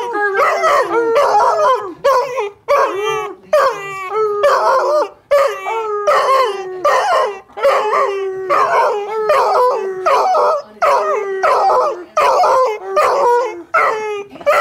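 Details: Puppy howling and yelping over and over, a rapid series of short wavering cries, each about a second long, with brief gaps between them.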